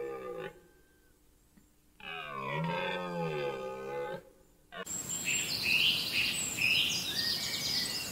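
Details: A red deer stag around the rutting season gives a deep, harmonic roar that bends in pitch, then hissing noise and faint whistles follow.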